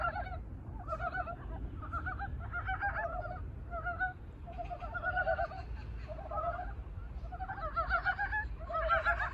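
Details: After waking from winter hibernation, Korean brown frogs call for mates: a lively chorus of short, husky, duck-like pulsed croaks, overlapping bursts every second or so, with a brief lull midway and low rumbling noise throughout.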